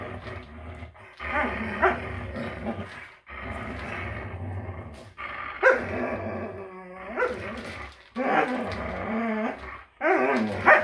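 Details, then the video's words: Several greyhounds fighting over a toy indoors: rough, throaty growls and harmonic grumbling in bursts of one to two seconds, separated by short pauses, some rising into strained yelps. "Greyhounds fighting over toy"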